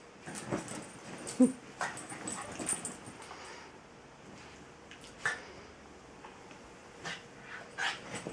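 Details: Tinkerbell, a female Jack Russell terrier, tries as hard as she can to get play and attention from Bilbo, a patient Welsh Terrier; a few short, sharp yips and barks break through soft scuffling and shuffling sounds, spaced irregularly.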